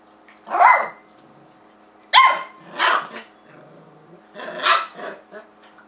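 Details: Domestic dog being silly and barking at a kitchen towel at home: three to four harsh, noisy barks spaced about two seconds apart, the first two with a bright tonal onset, plus a low rumbling between them.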